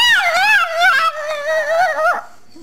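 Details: Zoe, a pet dog indoors, "talking" as a trick, saying "mama": a loud, drawn-out, wavering howl-like moan with rich harmonics, rising and falling in two long phrases.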